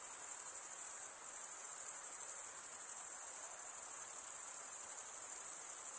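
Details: Stridulating crickets create an even, high-pitched insect drone of fast-pulsed chirps, briefly dipping in loudness near the first second, then continuing unchanged.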